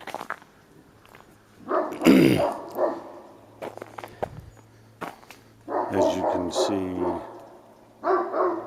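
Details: A dog at a back fence around 9:30 am gives loud, harsh barks in short bursts at nothing visible, excited after noticing a man softly talking in his front yard; a second dog comes over but only one barks.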